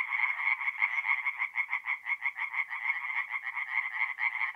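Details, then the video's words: Night chorus of tree frogs at a forest pond in north-east Italy, mid-April: fast, rhythmic rattling croaks pulsing several times per second, overlapping voices forming a steady throbbing wall of sound with no other noises. "relaxing forest pond by night with singing tree frogs"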